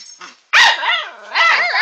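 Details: Puppies indoors; a sudden loud yelping bark, then high wavering whines and yips in two bursts, while a person greets them nearby.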